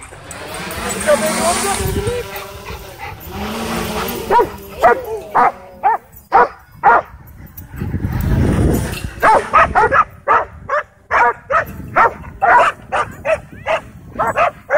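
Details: Excited dogs at a dog park chasing a DJI Mavic 2 drone; people talk through the first half, then a rapid run of short, punchy barks roughly two a second takes over.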